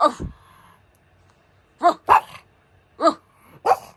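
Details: Pug giving short, hoarse barks in quick succession, about four within a few seconds, with a low background hum and a brief voice-like sound at the start.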